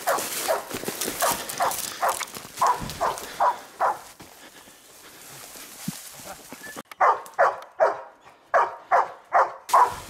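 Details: Ektoras, a one-year-old Labrador Retriever training for search and rescue in open field and rubble near Thessaloniki, barks in quick bursts about every half second, pauses for roughly three seconds, then resumes with a faster series of sharp barks.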